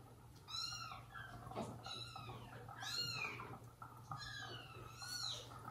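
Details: Domestic cats indoors: mother cat Jaco with her kittens and foster kittens, with the monkey Susie as their nanny. About five thin, high-pitched, arching meows come in quick succession over a steady low hum.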